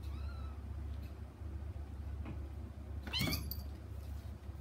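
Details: Little kitten meows for its mother behind frosted glass: a thin rising-falling mew at the start, quiet pause, then a louder, strained, wavering meow near the end over a constant low hum.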